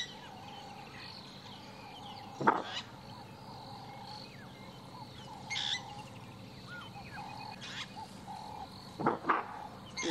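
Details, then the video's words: At sunrise on 1 March near Djuma Game Reserve, South Africa, another nyala among several gives sharp, explosive alarm barks spaced seconds apart as a leopard mother and cubs move nearby. "Oh, there's another Nyala giving an alarm call."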